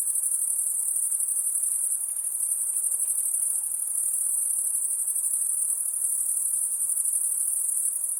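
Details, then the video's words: Insect calling at night: a continuous, very high-pitched shrill buzz held at an even level for the whole stretch, without pauses or change in pitch, over faint low background hiss. "High Pitched Insect Noise At Night"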